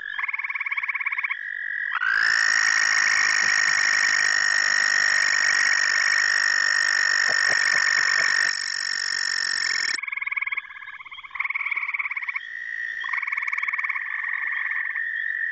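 An American toad gives a long, steady, high musical trill lasting about eight seconds.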